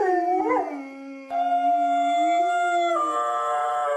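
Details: Long drawn-out dog howl, a quick rising yelp-like swell at the start, then sustained steady tones that hold level, lift slightly and drop near the end, with a second voice layered above.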